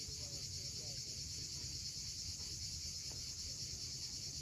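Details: Cicadas calling at sunset at Cape Fiolent on the Crimean coast, a constant sizzling high drone with a faint pulsing texture, backed by the deep wash of waves and a few quiet bird notes.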